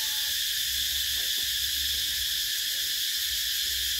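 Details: Summer cicadas make a steady, loud, hissing buzz that stays high and continuous with no pauses. A couple of faint, brief low chirps sit beneath it.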